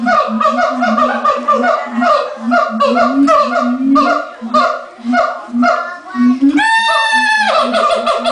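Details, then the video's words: Siamangs at the LA Zoo right before lunchtime, with the male taking centre stage, give rapid, honking barks in a steady run, broken by a long, rising scream. "Siamang Calls"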